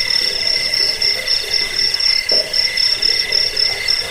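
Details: Cricket chirping meant to repel rats, ease sleep and train birds; a rapid run of very high, sharp pulses, several per second, with a fainter lower trill and a brief thump midway.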